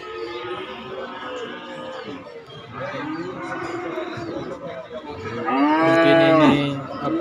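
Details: Cattle at a livestock market, calves and young bulls offered for sale; several overlapping harmonic moos, the loudest a long bellow near the end, over background music and murmuring voices.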